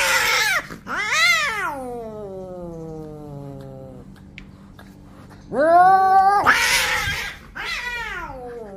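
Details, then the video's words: Fighting orange cats trade drawn-out yowls: a loud cry rises and sags into a long falling moan, then after a quiet gap harsher, wavering screams burst out in quick succession. "Orange Cats Fighting Each Other"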